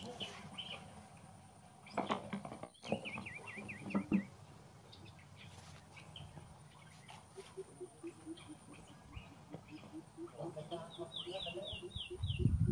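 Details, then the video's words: Young monkey Rainbow crying after another monkey, Luna, stepped on her; bursts of high, quavering, zigzag whimpers come in short runs early on and again near the end, over rustling, thumps and faint background chatter. "Luna monkey prefers make Rainbow crying so Bo call Mom Rose help her because Luna step on her"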